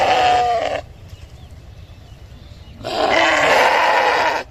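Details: Sheep bleating: two loud harmonic bleats, a short one at the start and a longer one near the end, separated by a quiet gap with low background hum.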